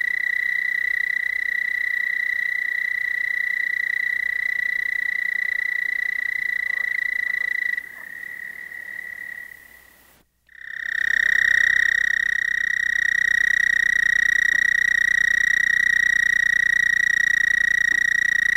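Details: A male American toad (Bufo americanus) at Monett, Missouri gives its mating call, a long, steady, musical trill of about 29–32 pulses per second near 1,800 Hz, pausing briefly before starting another.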